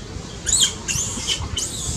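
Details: Baby monkey crying loudly and needing its mother's care, while an angry mother is nearby: three short, very high squealing cries, each rising then falling, spaced about half a second apart over a faint background hiss.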